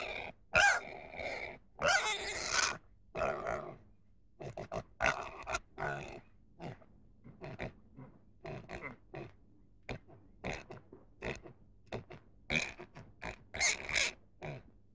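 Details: Rapid irregular grunting from a pig, short rough pulses coming close together, some louder squeaky bursts mixed in, over a low steady background hum.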